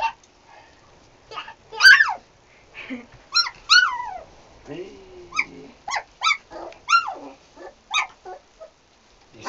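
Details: Sarplaninac dogs giving a quick run of short, high yelping barks, about ten in nine seconds, mixed with a long falling whimper and nearby human speech.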